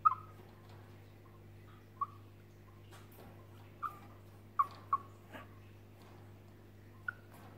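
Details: A chipmunk, frightened, calls with single short chirps that fall in pitch. They are spaced irregularly, one to two seconds apart, over a faint steady hum and light rustling.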